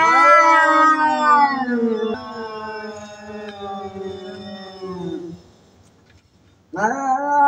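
Loud, wavering cat yowls stretch out for several seconds, each sliding gradually downward in pitch. After a short quiet gap a fresh yowl bursts in, the threatening voice of a cat squaring up to a rival.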